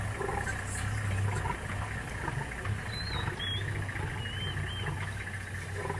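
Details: Lions of the Paradise pride with a six-male coalition on a hippo kill, Paradise plains, Maasai Mara, March 2023, giving a group roar after dominant aggression; deep rumbling low roars under steady vehicle engine idle, with high bird whistles.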